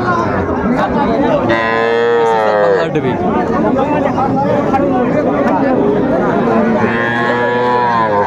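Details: Cattle at a farmers' market in Manikganj where small bulls and heifer calves are traded; two drawn-out, strongly harmonic moos, the first near the start and another at the end, over a constant crowd of chatter and market noise.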